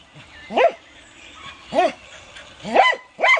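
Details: Dog barking: four short, sharp barks, each rising then quickly falling in pitch with a bright, ringing tone, the first two about a second apart and the last two closer together; faint steady hiss in the background.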